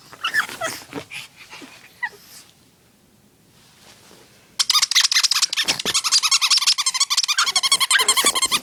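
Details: Indoor dog that wants to play with its favourite chew toy: a few short whines and yips, a quiet pause, then a sudden, continuous stream of rapid, high-pitched pulsing whines and yelps.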